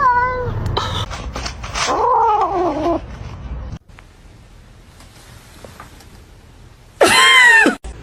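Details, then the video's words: Kitten meowing: several harmonic meows open the recording, then a wavering, drawn-out falling meow, a quiet stretch, and a loud arching meow near the end, with some speech nearby. "kitten meowing cute"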